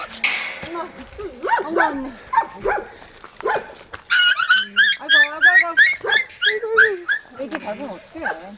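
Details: Sapsali dog family, the mother Suri and her growing puppies, in a foster home after birth at the Gimje shelter. High, wavering whines and short yelps come in quick irregular bursts, with human voices mixed in.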